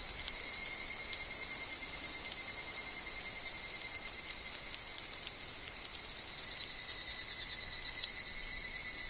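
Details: Evening cicadas (higurashi) in woodland, with wind and falling leaves in the setting, form a continuous high shrill wall of sound. A few faint clicks run through it, and the upper bands shift slightly partway through.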